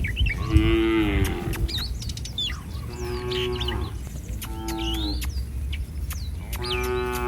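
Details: Street-roaming village cattle giving a series of drawn-out, steady lows, each roughly a second long, repeated every couple of seconds over a busy backdrop of chirping birds.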